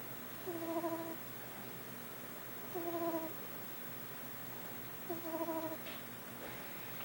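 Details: A 4-week-old pet kitten snoring: three faint whistling, tonal snores, each about half a second long, come roughly every two and a half seconds over a steady low background hiss.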